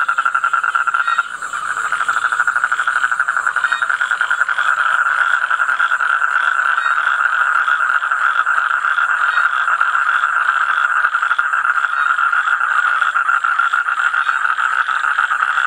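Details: Toad calling: a continuous, dense, rapid pulsed trill at a steady mid-high pitch, running unbroken throughout with even loudness after a brief dip near the start, no other clear sounds.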